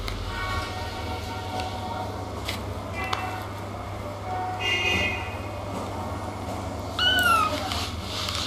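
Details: Kitten (Felis catus) gives a high, falling meow over a steady low hum and faint background chatter.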